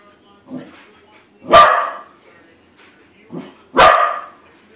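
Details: Pet corgi barking at a corgi-shaped balloon, discovering it is not real: two sharp, loud barks about two seconds apart, each preceded by a softer low huff.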